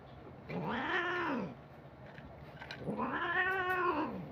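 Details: Domestic cat giving two long, drawn-out meows, each rising then falling in pitch with a rich, harmonic tone, about two seconds apart, in a quiet setting.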